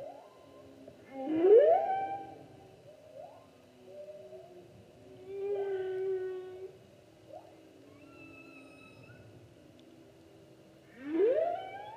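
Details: A humpback whale sings during the 2016 whale season: long, sweeping moans that rise steeply, with higher wavering tones between them.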